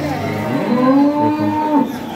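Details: Cattle at a weekly cattle market in Gazipur, Bangladesh: one long, steady, low moo with strong harmonics lasting about a second, over a soft background murmur.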